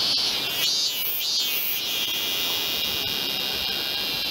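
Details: A Robust cicada (min-min cicada, Hyalessa maculaticollis), an off-key singer in a temple grounds in Tokyo in August 2018, sings a loud, shrill, continuous buzz, wavering in pitch early on.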